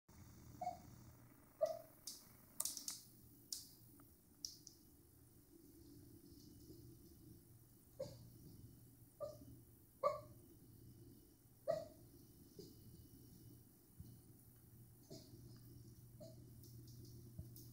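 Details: A sleeping dachshund gives brief, squeaky whimpers and tiny muffled yips, scattered irregularly with quiet pauses, amid a few soft clicks and rustles in a quiet indoor room.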